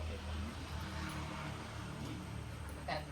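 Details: Steady broadband engine or aircraft rumble with faint speech and a short sharp noise near the end, and no animal sound.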